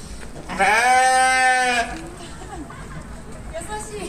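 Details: Sheep bleating: one drawn-out, strongly harmonic bleat lasting about a second with a steady pitch, then fainter background sounds.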